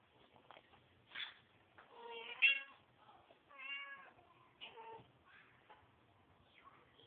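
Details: Domestic cat mother cleaning her kittens; several distinct meows, some short and higher, one longer with rich harmonics at mid-clip, amid soft clicks and scuffing.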